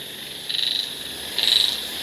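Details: Frogs calling on an evening near banana trees beside a house, with forest behind; two high, raspy pulsed bursts, each about a third of a second long, roughly one second apart, over a steady insect-like hiss.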